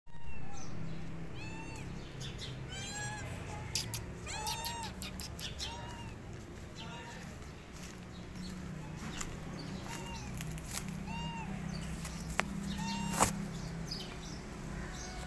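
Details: Mother cat guarding her kittens against a feral cat, the two growling at each other; a series of arched, wavering meow-like cries repeats through the clip over a low rumbling background, with a few sharp clicks.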